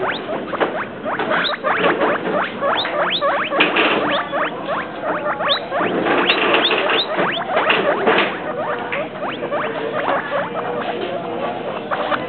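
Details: Rapid, steady chatter from pet guinea pigs Travis and Shane: sharp upward-sliding squeaks repeated about three times a second, continuing unbroken for twelve seconds over a soft background hiss.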